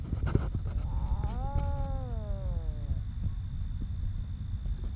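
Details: Homeless stray cat in Ras Al Khaimah, UAE, giving one long drawn-out meow that rises then slowly falls over about two seconds, over heavy low rumbling background noise with scattered clicks and a steady faint high hum.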